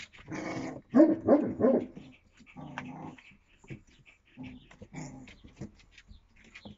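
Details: Twenty-five-day-old Yakutian Laika puppies, April 2023, making rough growling and yipping bursts, loudest near the one-second mark, then shorter, quieter grumbles with scuffling in between.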